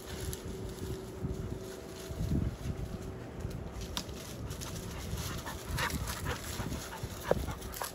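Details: Eight-month-old American Bully x Pit Bull Terrier mix puppies having fun playing; a few soft, brief whimpers and yips rise out of steady rustling, scuffling noise, with one sharper squeak near the end.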